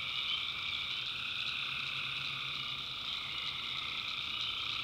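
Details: Tree frogs in a nighttime North Carolina swamp produce an even, unbroken droning chorus, layered under a constant high-pitched cricket buzz throughout.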